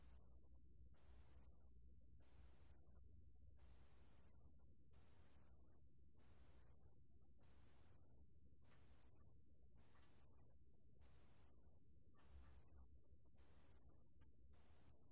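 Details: Pale bell cricket from the National Institute of Biological Resources collection, 2020, producing a steady high, pure trill in bursts of about a second, each followed by a short pause, repeating evenly throughout against a quiet background.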